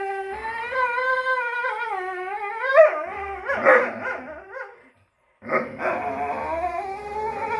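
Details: Greyhounds squabbling over a toy give wavering, moaning howls that slide down and up, broken by sharper yelps, a brief silence, then another rising howl.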